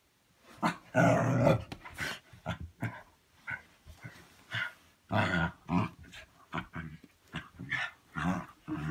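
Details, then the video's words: House dog playing and making funny noises: a rapid, uneven run of gruff growls and muffled woofs, several per second, with a louder drawn-out growl near the start. "Dog makes funny noises"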